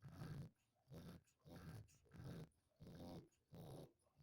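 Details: Sleeping dog snoring indoors: low, rasping snores in an even rhythm, about six breaths in four seconds, with quieter gaps between them.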